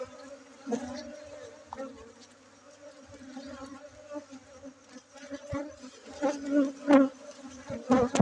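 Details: Honey bees at a bee-keeping site in Bener Meriah, Aceh, Indonesia, during a honey harvest on 7 August 2023; a steady low droning hum runs throughout, with clicks, knocks and handling noises, louder bursts near the end.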